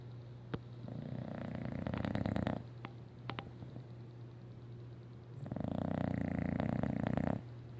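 An English Bulldog snores in long, rattling, low-pitched breaths, with a steady low hum behind.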